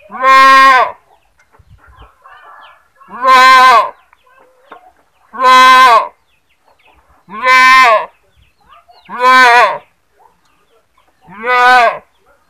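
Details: A goat screaming repeatedly, six loud nasal bleats each under a second long, spaced roughly two seconds apart, with faint background rustling between cries.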